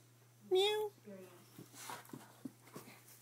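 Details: Red Rust Doberman Pinscher at play, hunting for the cat. A high, tonal whine rises slightly and holds briefly. A shorter, softer whine follows, then scattered soft clicks and thumps in a small room.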